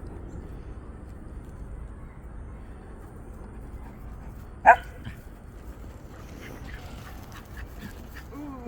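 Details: Puppy that is very fond of its friend gives a single sharp, loud bark midway. A steady low rumble runs underneath, with a faint rising whine near the end.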